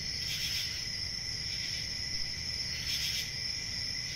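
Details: Cricket chirping forms a sustained piercing trill, swelling briefly at the start and near three seconds, over faint low background noise.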